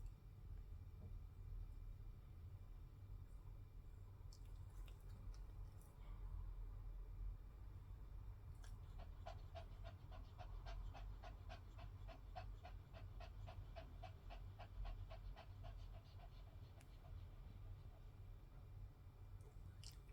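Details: Poodle with a collapsed trachea coughing nonstop, sometimes with a honking duck-like cough, recorded 22 March 2025; a rapid run of evenly spaced rasping pulses fills the middle stretch over a steady low hum.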